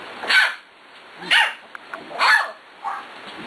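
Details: Six-week-old puppy at play barking in short, high yaps about once a second, four in a row, with a person praising it softly between barks.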